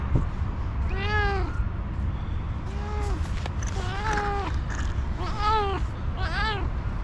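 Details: Orange cat begging for food with six clear arched meows, each rising then dropping, roughly one per second, over a constant low background hum.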